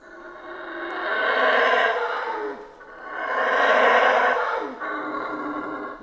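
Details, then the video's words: Howler monkeys in Central American rainforest roar in two big swelling waves of rough, throaty howling, rising to a loud peak and falling away, with a weaker third surge. "Rainforest Howler Monkeys Sounds"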